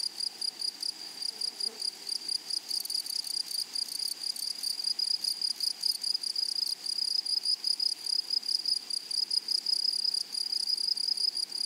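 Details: Grasshoppers in a flowery meadow produce a continuous high-pitched, rapidly pulsing buzz that holds steady across the whole stretch, with a faint overtone above and only a soft rural background beneath.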